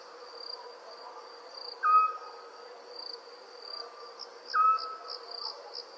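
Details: Night crickets give a continuous high pulsing trill, joined by a louder short whistled note twice, roughly 2.7 seconds apart.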